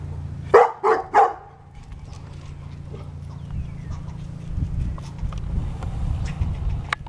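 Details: Pet dog in the final part of an argument with an angry squirrel: three sharp barks in quick succession at the start, then quieter rustling and low background noise.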